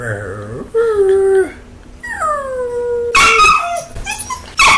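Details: A pet dog arguing back at its owner, giving drawn-out, falling howling vocalizations with rich harmonics, then a burst of sharper yips and whines near the end.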